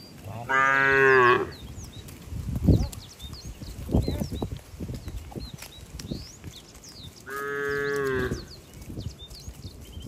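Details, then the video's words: Cattle moving slowly along wet roads to the barn in the rainy season; two moos about seven seconds apart, with knocking and footstep-like sounds and frequent bird chirps between them. "Bunyi sapi"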